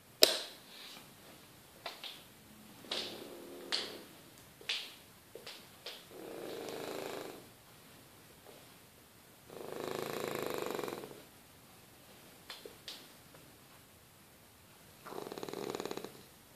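A sleeping French Bulldog snores in soft, raspy bursts every few seconds.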